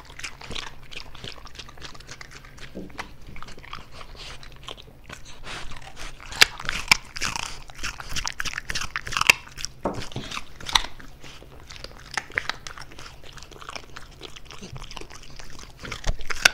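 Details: A pet French Bulldog filmed indoors for ASMR, eating close to the microphone: dense, irregular crunching and chewing clicks that run without pause, with sharper, louder crunches near the middle and at the end.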